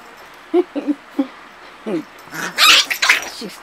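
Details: Two dog pups playing indoors: short soft whimpering yelps, low and wavering, several in quick succession, then scuffling and a sharper high-pitched yip, with a woman calling to them nearby.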